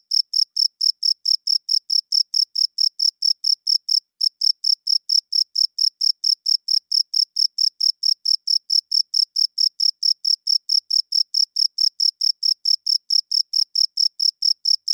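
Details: Loud nocturnal cricket chirping, produced by the male's wings to attract mates and defend territory; a long, steady stream of rapid high-pitched chirps, broken only by one brief gap early on.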